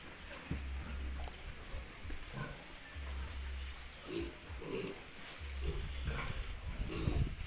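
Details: Piglets on an Italian pig farm giving short low grunts in loose bursts, some doubled, over a deep machinery hum with occasional clicks and rustling.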